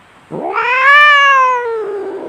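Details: A single loud cat cry during a fight, swelling up quickly, holding a tense, drawn-out pitch, then slowly sinking and fading.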